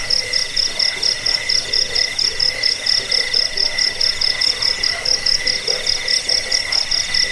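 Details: Crickets, recorded for rat repelling, sleep and songbird training: rapid, shrill pulsed chirping repeated in even bursts, layered over a constant lower trill, giving a dense nighttime insect chorus.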